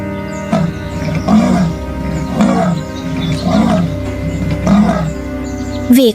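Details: Male jaguars facing each other in the Amazon rainforest during the mating season of the wettest time of year, roaring as a warning: rough, low grunting bursts repeated about once a second over a steady musical backdrop.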